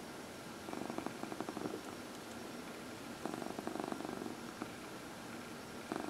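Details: Contented purring of a house cat under massage, one of four animals, two of them senior cats Heidi and Dinah; soft rumbling bursts come in breath-length waves, with a brief pause near the end.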